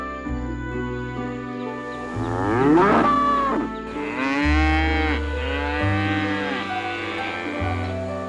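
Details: Cow giving one long, loud, drawn-out moo that swells and then wavers down, with music playing underneath.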